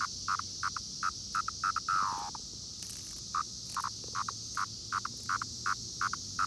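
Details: Brood X periodical cicadas near Princeton Junction, New Jersey, buzz in short repeated bursts, with one long call that slurs downward, over a steady high hiss.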